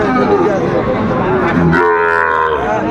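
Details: At Aftabganj market in Dinajpur, Bangladesh, on 2 September 2025, where Sahiwal bull calves are bought and sold: one low, sustained moo begins midway and holds steady under overlapping human talk.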